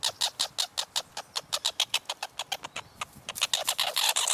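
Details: Squirrel noise: clipped, rasping chuck notes repeated rapidly, roughly five a second, with a brief pause mid-series before the calls resume and grow louder and denser toward the end.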